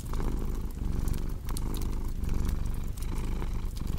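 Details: Short stretch of low, vibrating cat purr in pulsing breaths, with fireplace crackling and occasional sharp pops.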